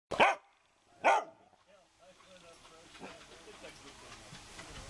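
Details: Pet dog barking for attention on a Sunday midday, 16 September 2012, recorded on a Canon PowerShot SX260 HS: two sharp, loud barks about a second apart, then quiet human speech in the background.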